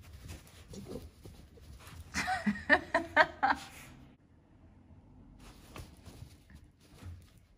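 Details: Pet Dachshunds out in the rain give a quick run of about five short, high, whining yelps bunched within two seconds. Quieter murmurs come before and after, over a low, steady background rumble.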